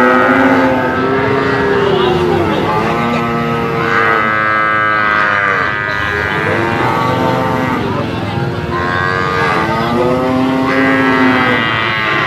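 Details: Several Brahman bulls calling together, sustained nasal moos several seconds long, some rising then falling, layered over one another in a steady din, with faint background noise throughout.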